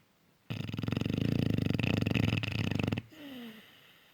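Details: Cane Corso puppy fast asleep and snoring loudly: one long, buzzing, rapidly fluttering low snore of about two and a half seconds, then a softer breath with a faint whine.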